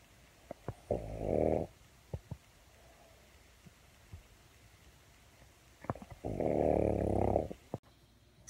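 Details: A sleeping pug snoring indoors; two long, rough, buzzy snores, each about a second long and spaced about five seconds apart, with faint ticks between.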